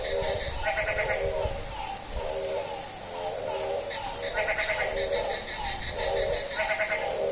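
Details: Goat-like bleats from a frog on a rainy night at midnight, coarse pulsed notes about once a second, overlapped by higher rattling calls from neighbouring frogs and faint low rumbles under steady hiss.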